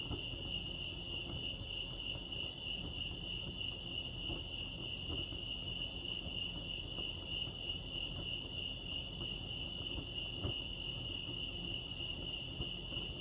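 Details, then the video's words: Lake Arrowhead, California crickets keep up a constant shrill chirping trill at a single high pitch, dense and unbroken, against soft low-frequency ambient rumble. "Serenity sounds crickets chirping lake arrowhead"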